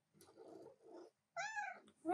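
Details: Female pet cat demanding attention while her owner works at a keyboard; after a low murmured voice, one clear drawn-out meow sounds, steady then falling, followed by the start of another.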